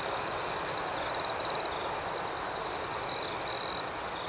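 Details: Nighttime crickets: a thin, constant high trill underneath, with two sets of louder, fast-pulsed chirps, one just after the first second and another past the third.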